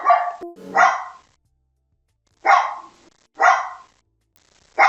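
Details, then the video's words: Barking dog from a compilation of many breeds: loud, drawn-out, harsh barks, four in five seconds, the first pair close together, then a long pause before two more. "51 Cachorros Latindo - Som de Latido de Cachorros Variados"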